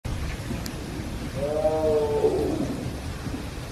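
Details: A tiger at Everland, which kept crying throughout the morning, gives a single drawn-out, moaning cry over a low background rumble; the keeper wonders if it misses another tiger.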